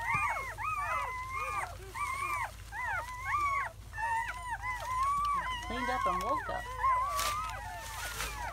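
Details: Seven newborn German Shepherd puppies, four males and three females, in their first hours after birth on May 7–8, 2017, giving overlapping high, arched whimpers and squeals in rapid succession, with several pups crying at once.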